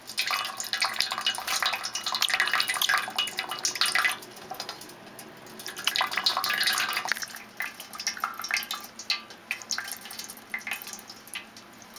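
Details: Splashing and dripping water indoors, with no clear animal voice.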